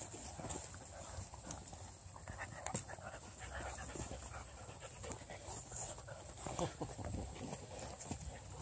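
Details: Pack of Redbone Coonhound puppies, males and females, converging on a blue hippo toy and pulling at it; steady mix of panting, snuffling and scuffling noise throughout, with a few sharper thumps and faint human voice in the background.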